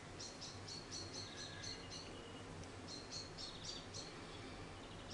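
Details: Charlie, an orphaned baby grey squirrel about a week old, found fallen from his nest in a garden and hand-reared; faint high thin squeaks in rapid runs of about four per second, two bursts separated by a short pause, over low background hum.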